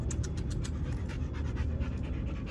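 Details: A dog named Adios panting in rapid, rhythmic breathy puffs, several per second, over a low steady indoor hum.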